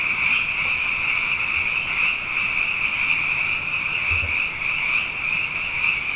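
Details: Many frogs singing at night following two wet years in a row: a constant high, pulsing trill chorus with gentle swells in loudness and a brief low thud near the end.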